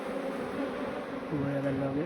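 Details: Brief steady hum from a swarm of honey bees during transfer to a modern hive, a droning tone with a man's voice coming in over the buzz halfway through.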